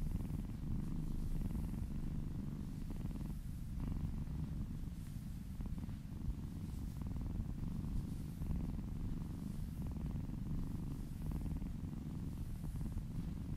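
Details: Continuous deep purr from a kitten receiving a massage in a small room, an even rumble with gentle breathing swells in and out, quiet background.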